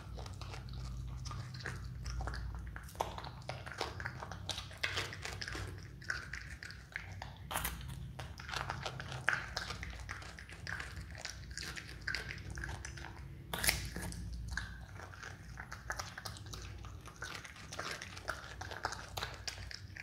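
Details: Pet Himalayan marmot named Dumpling, kept indoors with its own room, eating a carrot: crisp irregular crunching bites and grinding chews, with sharp louder snaps now and then, over a steady low background hum.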